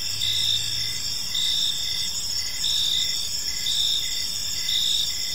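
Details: Park crickets at evening give a sustained high-pitched trill broken into repeated chirps about once a second, with a faint low hum briefly underneath at the start.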